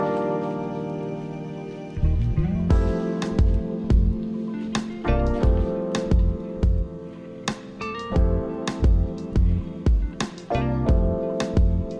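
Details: Plucked guitar music with a deep bass line and rhythmic picked notes fills the whole stretch, and no animal sounds.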